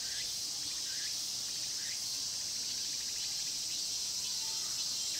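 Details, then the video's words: Cicadas singing in the Mokgye pine grove at Cheongsong, recorded on a Panasonic LUMIX GX9 camera: a dense, unbroken high shrill buzz, with faint short chirps rising now and then beneath it. "자연의 소리 '청송 목계솔밭 매미소리' cicada sound"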